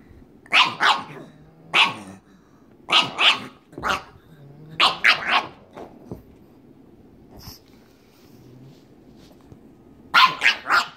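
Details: Two pugs, Waddles and May, at play as Waddles keeps trying to get May to play: bursts of sharp barks in pairs and triplets through the clip, brief quiet stretch in the middle, then a fast run of three barks.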